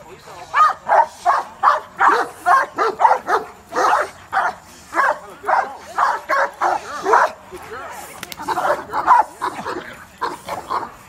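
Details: Cane Corso at an outdoor cookout gathering, barking in a rapid, steady series of short deep barks, about two to three per second for most of the stretch, with people talking in the background.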